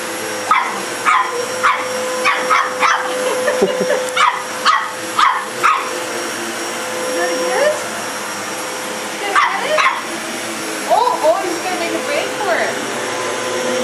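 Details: Pet dog barking at a running vacuum cleaner indoors: a burst of sharp, repeated barks over the first six seconds, a few more around ten to twelve seconds, over the steady drone of the vacuum with a person talking encouragingly.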